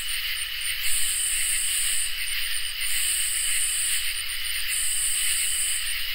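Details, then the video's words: Crickets and katydids singing on a summer night: steady high shrill drones underlie long buzzy bursts at the top of the range, running about a second each with short gaps, forming a dense continuous chorus. "Crickets and Katydids in Summer | Ambient Night Chorus"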